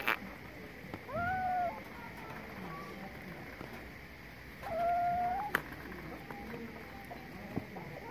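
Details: Kitten giving two clear, tonal meows about three and a half seconds apart, each a steady, slightly bending cry, over a quiet hissy background with a few soft clicks.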